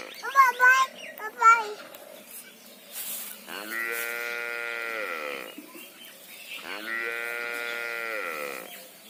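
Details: Cow mooing: after a few brief spoken words, two long, steady, tonal moos of about two seconds each, held level and then sagging slightly in pitch at the end, separated by a short pause.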